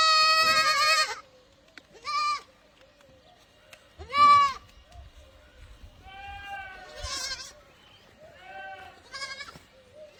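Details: Barbari goats calling in a group: a long loud bleat, then shorter bleats and several softer overlapping ones from other animals further off, with some low background rumble.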